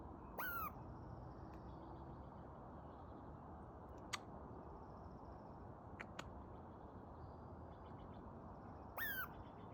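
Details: A squirrel that ran up a tree after a dog's barking gives two sharp, falling squealed calls, one near the start and one near the end.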